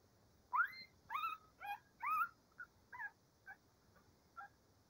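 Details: Cavalier King Charles Spaniel puppies waiting for breakfast give a quick run of high yelping whimpers. Two or three louder rising cries come first, then softer short squeaks that fade out.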